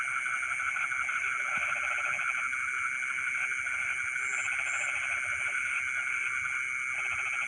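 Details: Frogs calling in rice fields in the middle of the night: low pulsed croaking trills in bursts of one to two seconds, set against a dense, steady, high insect drone and occasional short high chirps.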